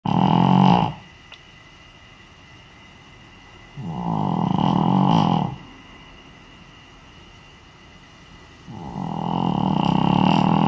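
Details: Senior Shih Tzu named Naomi asleep indoors, wearing an Elizabethan collar that may amplify the sound; loud, harsh snores lasting about two seconds each, returning roughly every four to five seconds with quiet pauses between.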